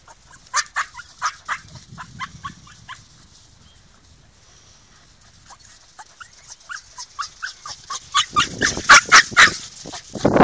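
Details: Two border terriers, Ozzy and Rico, having fun on a beach: a run of short, sharp, high yips repeated about twice a second, growing louder and denser toward the end with rushing noise.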